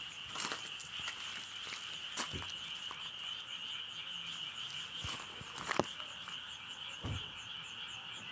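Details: Frogs in full chorus, an unbroken high trill with quick pulsed notes, interrupted by several sharp knocks and thuds.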